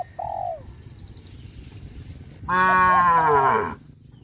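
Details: On a traditional village farm, a cow heading toward green grass fields gives one long, loud, rich moo of over a second, preceded by a short bird chirp and quiet background.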